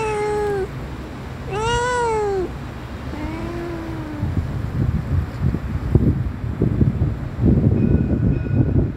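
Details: Little kitten with blue eyes, filmed outside in nature, gives three drawn-out arching meows in the first four seconds, the last one softer and lower; afterwards low rumbling noise and scattered knocks take over.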